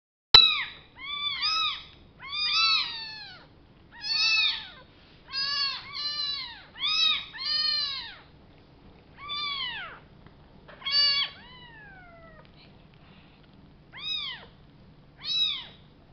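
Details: Two young kittens found alive in a box, meowing while being fed: a rapid series of high, arched, harmonic meows in bursts, several per second, with short pauses between bursts.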